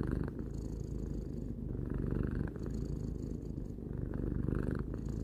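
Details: Three-year-old pet cat purring: deep, throbbing low drone made of rapid tiny pulses, alternating between inhale and exhale phases roughly every two seconds, with no other sounds.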